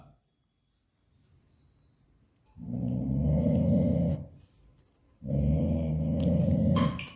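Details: Dog giving two long, low, rumbling growls of about one and a half seconds each, separated by a short quiet gap, in an indoor setting.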